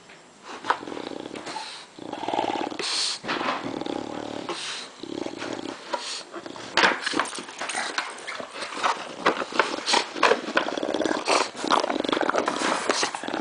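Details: Floyd, a dog given an old milk jug to play with, growls low and steadily for a few seconds, then sharp plastic crunches and thumps take over as he chews and tosses the jug.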